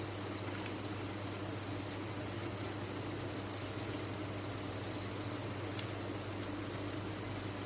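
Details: Dense cricket chorus on a cricket farm, a continuous high, buzzy trill holding the same pitch and loudness from start to finish, backed by a faint low hum.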